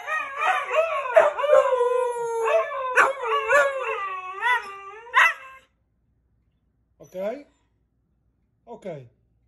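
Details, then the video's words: A Siberian husky sings in a rich, wavering howl that swoops up and down for about five seconds in a series of joined, whining phrases. After a short silence, two brief, rising whimpers follow. "Husky singing"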